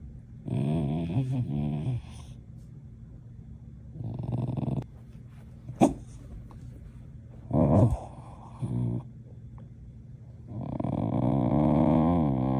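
A corgi gives low, drawn-out grumbling vocalizations in several separate bursts, like it is talking.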